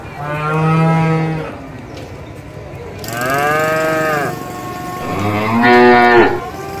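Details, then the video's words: Three long, loud moos from tame cattle at a livestock trading market, each rich in harmonics and arching in pitch, spaced about two seconds apart over a steady low background rumble. "SUARA SAPI MOO"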